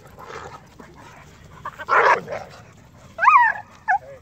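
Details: A Catahoula and a male 8.5-month-old Irish Wolfhound weighing 145 pounds wrestle in play; a rough, growly burst sounds midway, followed by two high, bending yelping whines close together near the end over quiet background.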